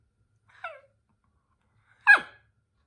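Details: Toy poodle at home in a rowdy mood before its sister snaps at it: a short, thin yelp-like cry, then after a pause of over a second a single loud, sharp bark, with silence in between.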